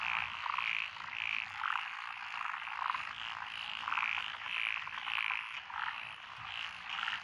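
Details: Lotus rice paddies in Fukui, Japan, on 12 June 2021, alive with several frog species, among them Japanese tree frogs and wrinkled frogs: rhythmic bright croaks about every half second over a thick, buzzing background chorus.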